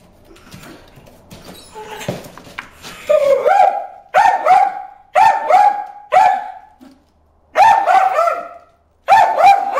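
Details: Bruce the dog barking at fish in a water hole: after a quieter, mixed opening, loud clipped harmonic barks start near three seconds, coming in close groups of two or three with short pauses between.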